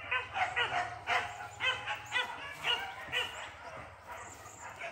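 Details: First training session for Max at the PORBI event on Sungai Pingai: loud, bright barks repeat about twice a second, then fade into softer yips, over a low droning background.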